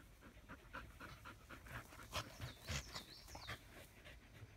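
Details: Australian Shepherds chilling under a willow tree in the shade; quick, uneven huffing pants, several close and loud, while a bird gives swooping whistled notes in the background.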